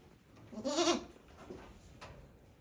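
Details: Newborn goat kid, one day old, on a handmade goat farm in Japan, 17 April 2024; one short, quavering, nasal bleat rising then falling, followed by faint shuffling and background hiss.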